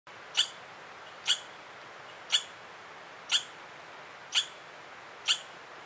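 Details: Southwestern red squirrel giving an alarm: sharp, high, clicking chips repeated about once a second, six in a row, each very short and piercing, over a quiet hissy background.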